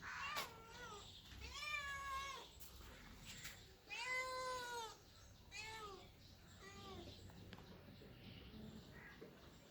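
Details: Domestic cats or kittens meowing: about five drawn-out, harmonic-rich meows, several rising then falling, spaced a second or two apart over a low indoor hum.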